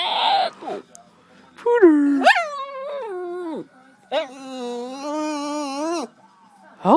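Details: Lupe Fiasco, a pet dog who hates being called Pooder, answers with long wavering howls and whines that rise and fall, in drawn-out vocal runs of one to two seconds, with a person's voice heard in between.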